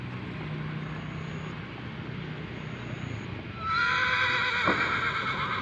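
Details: Horse at the Gelanggang H.M Hasan Gayo arena in Takengon, Central Aceh, Aceh Province, Indonesia, ahead of the 2023 Gayo traditional horse race. Low background rumble gives way midway to a loud, sustained, quavering whinny with bright harmonics lasting about two seconds.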